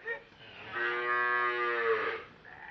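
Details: Cattle being fattened on an Indonesian farm for the Qurban sacrifice, giving one long, strained, harmonic moo of about one and a half seconds; people talk nearby.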